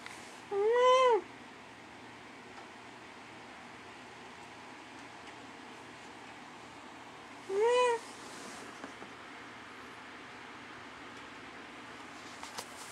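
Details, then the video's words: Domestic cat named Dusty meowing indoors in the middle of the night while trading calls with his owner: two clear arched meows, one near the start and another about seven seconds later, with quiet room hush between. "Talking with my cat Dusty"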